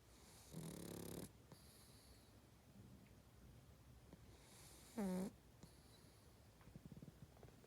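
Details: Pug snoring: two rough, rattling inhaled snores, the second a short, sharply rising snort, each followed by a soft breathy exhale, with faint clicks between.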